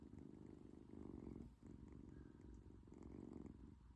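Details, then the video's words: British Shorthair cat, asleep, snoring and purring at the same time: a low, steady rumbling purr that swells and fades with each breath, roughly every one and a half seconds, indoors and quiet. "코골이 + 골골송?"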